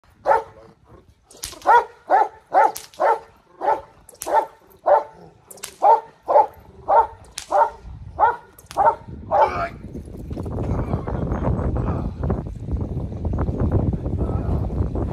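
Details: Dog alerting to a bad guy, barking in a rapid steady series of loud sharp barks about every half second for ten seconds, then stopping as rumbling wind-like noise takes over.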